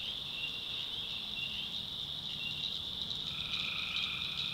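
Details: Tree frogs calling at night in a swamp in the backwoods of North Carolina: a dense, shrill, unbroken high chorus, with a lower drawn-out trill joining near the end.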